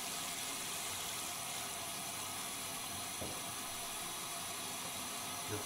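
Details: Steady running water from a tap or sink hisses throughout, with faint speech in the background.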